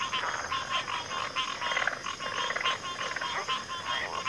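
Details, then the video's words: Loud, close frog chorus, a thick mass of rapid nasal croaks and rattles overlapping without pause, while a thin high insect whine continues behind them. "FROGS - Pig Frogs, Water Frogs, Backwater Chorus, & Frog Chorus"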